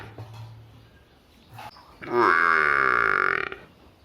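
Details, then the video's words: Village buffalo calf making one rising, nasal bawl of about a second and a half after faint low background murmuring. "cute buffalo funny face sound"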